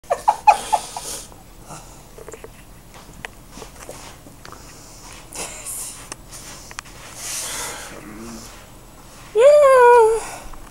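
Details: Seven-week-old Shih Tzu puppy being cuddled: soft breathing and rustling, a short squeak at the start, then a loud, high, wavering whine with rich overtones near the end; a person murmurs and laughs quietly.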